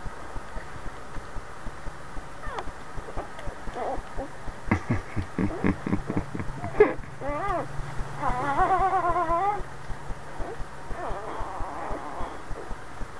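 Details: Boxer called Cry Cry Baby, a mother lying with her newborn puppies, gives wobbling, undulating whines in the middle, preceded by short stuttering yelps, with regular soft clicks and a low electrical hum throughout.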